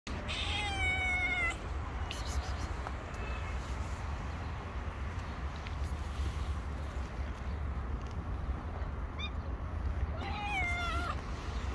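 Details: Hungry stray cat that suddenly climbed onto a shoulder, giving two drawn-out, falling meows, one at the start and one near the end, over a steady low rumble of street noise.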